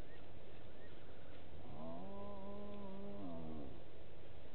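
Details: Hyena calling in the background at Gowrie dam waterhole, Djuma Game Reserve, Sabi Sand, South Africa, at 19:33 on 09/10/18 while a nervous duiker drinks; one drawn-out harmonic moaning call, rising then levelling, over steady low rumble.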